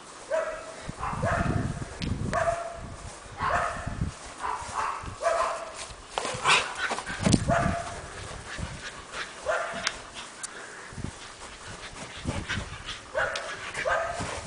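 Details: Basenji dog in Bologna, Italy, giving short, rough, yelping and whining calls, mostly about once a second with brief pauses, over faint room noise.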